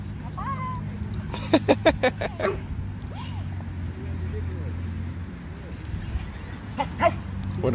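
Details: Jah the Chihuahua at a dog park before Thanksgiving: a quick burst of five sharp barks, a pause with whiny squeaks, then two more yips near the end, over low outdoor rumble and a voice.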